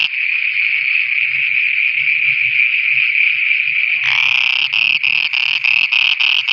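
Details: Frogs at night in Pakistan give a long unbroken buzzy trill for about four seconds, then switch to a series of separate rasping croaks repeated several times a second.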